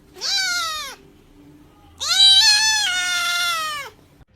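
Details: Domestic cat giving two drawn-out meows, the first short and falling at the end, the second longer and wavering, with a pause between; laughter and Russian speech follow.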